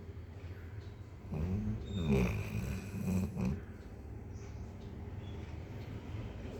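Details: A sleeping dog snoring softly indoors: low, rumbling breaths swelling twice in the middle of the clip, each lasting about a second, with quiet room hiss between them.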